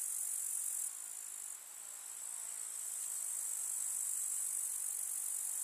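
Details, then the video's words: Chorus of grasshoppers in a countryside summer meadow: sustained high, sizzling stridulation that dips in loudness for a moment near the start, then grows stronger and stays even. "КУЗНЕЧИКИ. Слушать звуки летнего луга"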